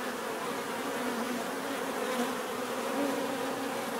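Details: Steady hum of bees in a natural setting, a thick overlapping drone of wingbeats with shifting pitch as individuals move closer and away.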